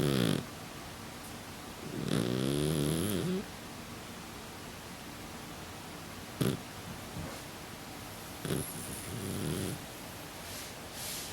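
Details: Sleeping Exotic Shorthair cat, a flat-faced breed whose nose snorts as it breathes, snoring steadily: low, rough, buzzy breaths about 1.3 seconds long, separated by quiet pauses, with a few faint clicks.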